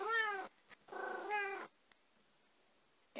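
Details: Blue tortie cat, female, indoors while eating a bone-in Cornish hen thigh, gives two drawn-out harmonic meows, the second longer with a rising then falling middle, followed by near silence.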